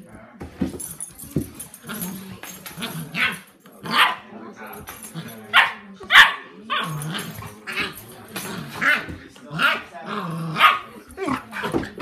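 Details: A 10-week-old puppy and a 7-month-old dog at play; loud, sharp barks come in rapid bursts roughly every second, with grumbling growls between and human speech underneath.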